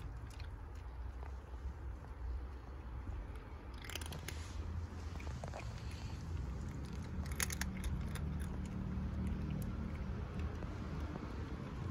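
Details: Only crunching, chewing-like clicks over a steady low rumble are heard, with no animal call.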